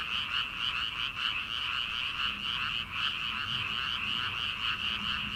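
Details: Frogs croaking in rice paddies on an early-summer night before planting: thick continuous chorus of fast pulsed calls from many individuals, with a faint low hum beneath.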